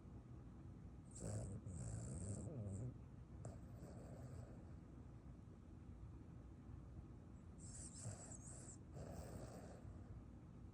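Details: A Boston Terrier sleeping after a run snores in low, rumbling bursts with a rattling, throaty texture.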